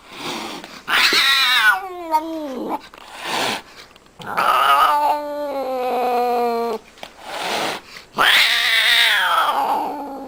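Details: Domestic cat angry at her owner: loud harmonic caterwauls, each starting high and sliding downward into a drawn-out moan, about three or four drawn-out cries with brief silences between.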